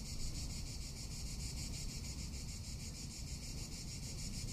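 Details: Cicada calling in summer in Tuscany: a steady, high, rasping buzz pulsing rapidly without pause, over a heavy low rumble of wind.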